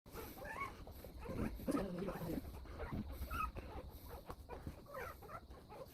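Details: Newborn Golden Retriever puppies, one day old, from a litter of nine born to a young mother in Nampyeong-eup, Naju, South Korea; thin high squeaky whimpers rise and fall among low rustling and handling noise.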